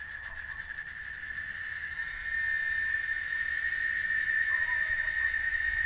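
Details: A cicada (chicharra) in Oaxaca, Mexico sings a steady, high, whistling drone that swells louder partway through.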